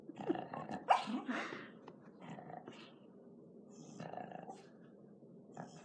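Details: Sleeping female house dog snores in rough, snuffling breaths, with a sharp snort near the start followed by quieter, uneven rumbling inhales and exhales.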